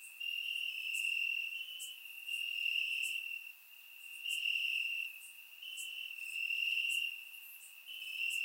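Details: Night-time cricket chorus in summer grass, Bulgaria, recorded with a surround microphone: a constant piercing trill swelling and fading every couple of seconds, with faint higher chirps repeating in the background.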